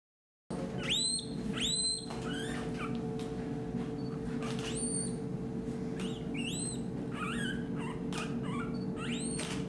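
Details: A one-month-old male red panda cub, born June 9 and hand-reared in a veterinary hospital after inconsistent care from his mother, gives high, thin squealing whistles that sweep upward in quick bursts.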